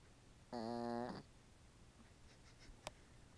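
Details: Dog asleep and snoring, captured on an iPhone: a single buzzy, droning snore lasting just over half a second, followed by quiet hiss and a faint click.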